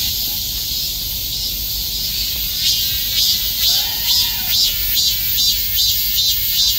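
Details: Numerous cicadas clinging together like bees and calling at once in summer; a dense, high, hissing buzz swells into rhythmic pulses about twice a second through the second half, with a faint low tone midway.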